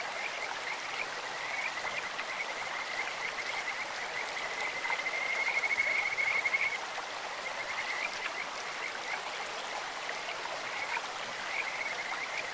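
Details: Kajika frog in a clear stream giving a brief, fainter run of quick whistled pulses for about two seconds midway, mostly masked by the constant hiss of rushing stream water.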